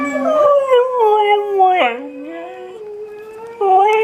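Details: Siberian Husky at home howling and talking while watching dog videos: loud, wavering, yodel-like howls with sudden pitch breaks and swoops, a brief dip, then a long rising tone and a final loud burst.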